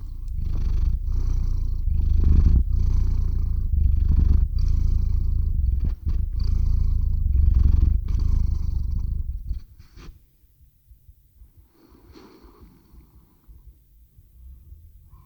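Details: Domestic cat named Teo purring loudly into a RODE NTG-3 shotgun microphone and ZOOM H6 recorder as he falls asleep; steady low rumbling pulses for about nine seconds, then the purr stops abruptly, leaving faint breathing and quiet room noise.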